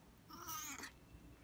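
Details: Siamese cat asking for a cookie, giving a short, bright meow of about half a second with strong high harmonics, quiet indoor background afterward.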